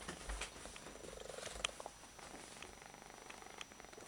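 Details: Odd-eyed domestic cat purring hard while being held, a rough low rumbling pulse running steadily through the clip with light rustling.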